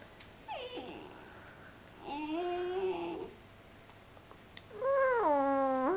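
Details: Sleepy puppy Phoenyx, indoors, being coaxed to talk: three drawn-out whiny, howl-like vocalizations, each sliding downward then holding a steady tone, the last one loudest, separated by quiet pauses with faint room noise.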